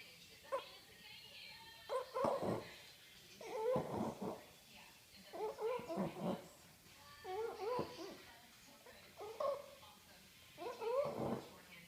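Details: Daisy, a French Bulldog, asleep and snoring loudly indoors: rough, throaty snorts repeating roughly every one to two seconds, each with a nasal, whining edge, steady throughout.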